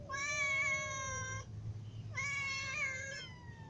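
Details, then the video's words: Hungry cats, a ginger cat among little and adult cats, meowing for food: two long, clear, tonal meows, the first steady and slightly falling, the second rising then dipping, separated by a short pause over a low steady hum. "Ginger cat , little cats and adult cats all meow because they are hungry"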